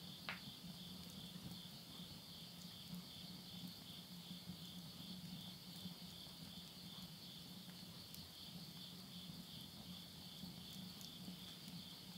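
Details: Insects calling at midnight in the Japanese countryside of Yurihama, Tottori, at summer's end in September 2020; a steady, high, two-toned shimmering trill runs throughout over a low hum and a faint crackle of wood burning in a stove.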